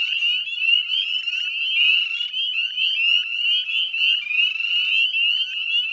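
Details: Northern spring peeper frogs massed in the Chezzetcook salt marsh, Nova Scotia, at dusk on 18 May 2020; shrill, high, slightly upslurred peeps pile into a ceaseless ringing chorus, swelling and fading in gentle waves.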